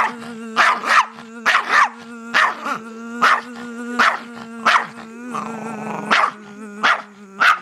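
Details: Reacting to a buzzing sound it hates, a dog barks rapidly and repeatedly, about a dozen rough barks in quick bursts, over a continuous low buzzing drone.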